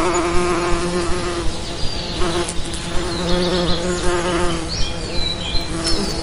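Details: Bees buzzing in a dense, continuous low hum with rich stacked overtones and slight wavering pitch; faint high chirps flicker above the drone throughout.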